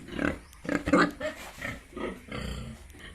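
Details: Yorkshire and Hampshire pigs on a farm in Bongaigaon, Assam, giving a few loud harsh grunts and a squealing rise in the first second, followed by softer grunts.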